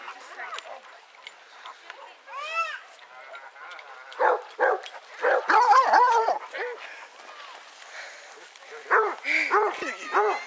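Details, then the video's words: Eighteen Basset Hounds walking together round Belwade Farm, Dess, Aboyne, Scotland, in August 2014. Loud, drawn-out melodic bays swell and fall, several hounds overlapping in repeated bursts, with quieter yelps between the loud passages. "Scottish Basset Hound Walk at Belwade Farm August 2014"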